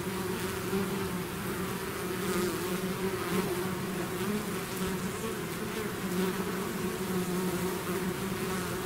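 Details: A swarm of bees out of the hive fills the air with a dense, unchanging buzz, a deep drone of many wings with soft rises and falls in loudness.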